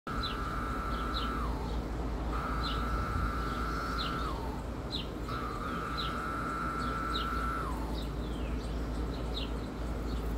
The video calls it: true cicada sounds